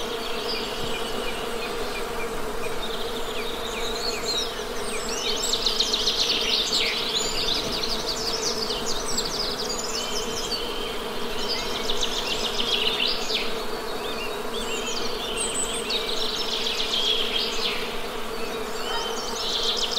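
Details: A continuous low hum from honey bees fills the background, overlaid by busy high-pitched birdsong with rapid trills and chirps coming and going.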